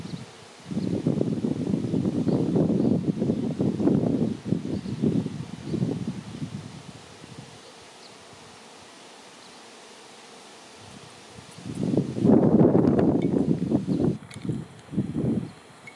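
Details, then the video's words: Honey bee swarm filling the air before settling on a branch to await relocation to a new home: a low, dense droning hum swelling in surges for several seconds, fading to near quiet, then rising again in rough pulses. "Honey Bee Swarm"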